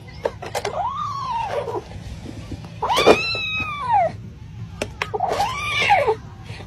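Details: An angry cat gives three drawn-out meows, each rising then falling in an arch with strong harmonics, about two seconds apart, with sharp clicks and knocks between them in a small indoor room.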